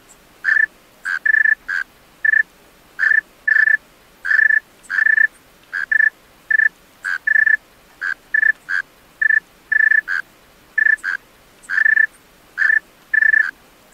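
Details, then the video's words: A male tree cricket sings after dark, giving repeated high, tonal chirps of varied length, some pulsed and some smooth, at an unsteady pace with nothing else audible. "Male Tree Cricket Singing Songs-Tree Cricket Sounds-Tree Cricket Call - Tree Cricket Sounds at Night"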